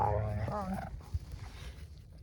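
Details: Two young wolfdog puppies (not pure wolves), Silas the bigger and Bear the smaller, give rough, wavering growls with a higher whining edge while play-wrestling and jaw sparring, then scuffling; normal play, not serious, a voice faintly mixed in.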